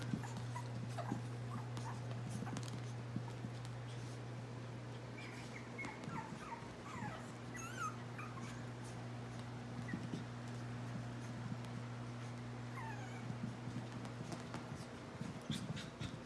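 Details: A litter of three Chihuahua puppies, named Solo, Banjo and Reed, recorded August 21, 2018: clusters of quick high squeaks around the middle, sparse whimpers elsewhere, over a low steady hum and faint rustling.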